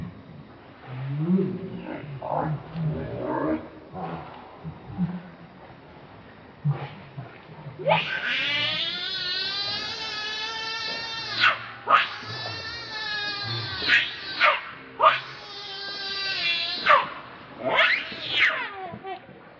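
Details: Baby monkey Leo, hungry and angry, begging its mother for milk: after several seconds of low rustling and murmur, loud harmonic screaming wails break out in bursts, each rising then sliding down, with short gaps between.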